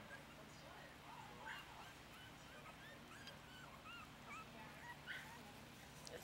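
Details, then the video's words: Five Yorkie puppies, four weeks old, messily eat puppy milk mixed with ground puppy food from a dish, giving repeated high, thin whimpers and squeaky yips, some rising or falling, alongside a human voice talking. "4 Week Old Yorkie Babies - eating from a dish"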